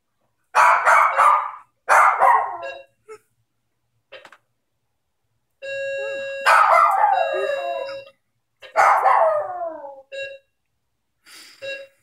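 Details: Maltese dog howling after a doorbell started ringing, a behaviour its owner had not known about; short yelping bursts, then long howls with falling, wavering pitch, mixed with repeated electronic doorbell chimes.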